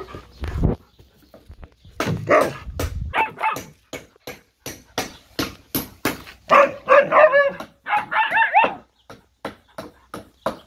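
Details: Siberian Husky father meeting his puppies for the first time; a rapid run of short barks, yips and whiny howl-like cries, ending in scattered barks.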